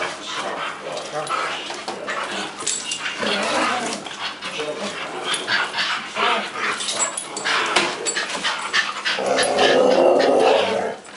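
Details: A group of pet dogs, among them a visiting Pekingese, beg noisily for treats from a person. Rapid, uneven whines, yips and grumbling barks run throughout and build to a sustained louder cry near the end, mixed with human voices.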